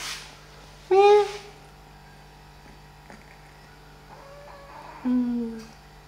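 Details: Kittens playing and feeding indoors: two brief, high, slightly falling mews about four seconds apart, separated by quiet room hum and faint soft bumps.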